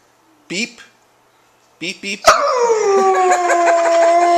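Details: Siberian Husky puppy kept as a pet at home, howling in reaction to a hated "beep" noise: two short voiced bursts, then a long steady howl sliding gently downward and held to the end.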